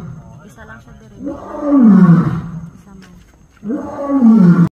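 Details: Zoo lion in Ubon Ratchathani, Thailand, roaring twice: deep, throaty bellows that rise then sink, separated by quieter grunting breaths, with faint human chatter in the background.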